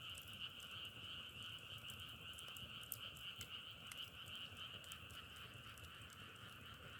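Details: Outdoor frog chorus likened to firewood crackling: a steady shimmering trill holds throughout while quick sharp clicks pop irregularly on top, over a faint low rumble.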